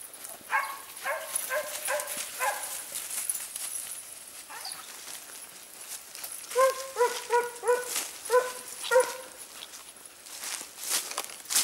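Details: Segugio Italiano scenthounds on a hare hunt at Sofiko, Evros, Greece, 18 October 2015, heard at some distance: spaced bursts of clear, harmonic yelping bays from a few dogs, with a hissing outdoor background and a quieter gap midway.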